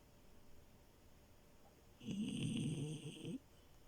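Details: Milo, a French Bulldog puppy, asleep in bed gives a single rough, rattling snore lasting just over a second after a quiet pause.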